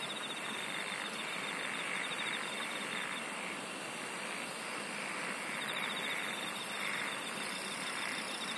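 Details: Singing insects form an unbroken chorus of fine pulsed trills, with a high band that starts partway through, all over a constant wash of broadband background noise.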